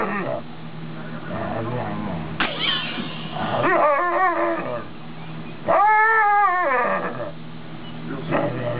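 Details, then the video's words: Female wolf-dog, a wolf, Chow, Malamute and Husky mix, known for 'talking': wavering, whiny, yodel-like vocal tones that rise and fall in pitch, two main drawn-out phrases of about a second each, with human voices underneath. "Talking Wolf Dog"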